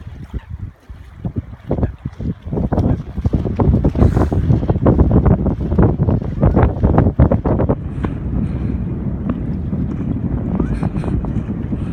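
Wind buffets the microphone over the low rush of waves, with no animal calling.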